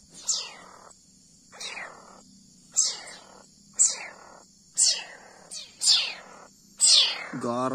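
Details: Young leopard cat being hand-reared on milk, calling in loud, piercing, downward-sweeping cries repeated roughly every second, each with a raspy tail, over a faint constant hum.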